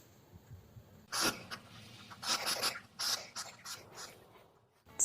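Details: A hedgehog in a forest gives three or four short, breathy snorts and huffs over a few seconds, with quiet room noise between them.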